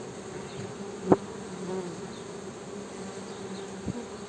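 Honey bees hum in a continuous low drone that holds an even pitch throughout, with a fainter ringing overtone layered on top. A sharp tap breaks in twice, once near the start and again near the end.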